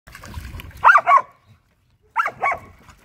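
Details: Samoyed Luma and Keeshond Zuko playing by the pool in the yard, first splash of the season; two pairs of sharp, mid-pitched barks, each pair a quick double, separated by about a second of quiet, with faint rustling before.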